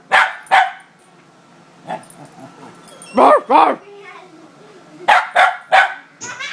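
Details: A female Scottish Terrier barks indignantly, offended by a Muppet: irregular bursts of sharp barks, some in quick pairs, with softer yips and rougher vocal sounds between them and human speech mixed in.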